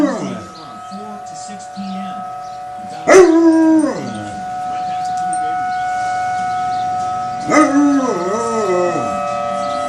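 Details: A dog named Bear joins a wailing tornado siren with two howls, the first sliding down quickly and the second wavering up and down, while the steady siren drones underneath and faint voices murmur.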